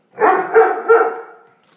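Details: Doberman dog letting out one drawn-out, tonal bark that swells in three quick pulses and fades away over about a second and a half, in an otherwise quiet room.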